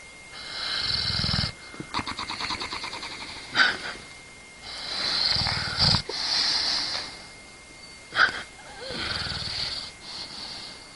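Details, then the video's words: A dog asleep, snoring steadily. Each cycle pairs a soft low rumble with a hissing, wheezy breath, repeating about every two seconds, and brief sharp snorts break in now and then. "Funny Snoring Dog Compilation"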